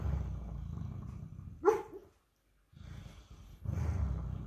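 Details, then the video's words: Sleeping and dreaming, Henry, a 158-pound Great Dane cross mastiff, gives a soft low snoring rumble broken by a short high whimper, then a pause before the quiet snoring resumes. "my 158 pound great dane cross snoring and dreaming"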